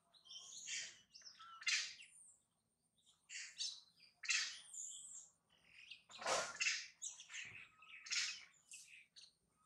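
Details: Baby monkey Mila crying loudly while her mother bites and mistreats her; shrill, screechy high-pitched cries come in short bursts about once a second, with brief quiet gaps between them.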